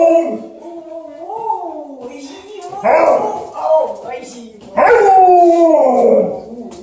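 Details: Liza, an Alaskan Malamute, greets her owner on the stairs and escorts her upstairs. She gives wavering, sliding howls that rise and fall, with two louder, sharper bursts near the middle and end.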